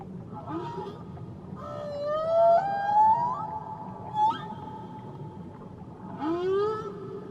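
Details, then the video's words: Off Tahiti, a whale voices bright rising whistled moans that glide upward and hold steady, followed by a short upswept cry near the end, set against steady low underwater background noise. "Nature Sounds Only Whales & Beaches"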